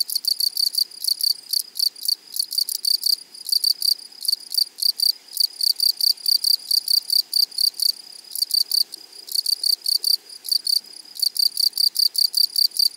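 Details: Grasshoppers in a flowery meadow: loud, nearly continuous rasping chirps, each a quick burst of dry scratchy pulses repeated several times a second, with only brief gaps.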